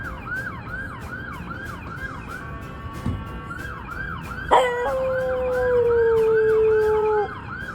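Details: Guinness, a once-stray dog now living near a hospital, howls at a passing ambulance. A wailing siren cycles throughout. Midway a loud, long, steady howl begins and slides slowly lower for about two and a half seconds before breaking off.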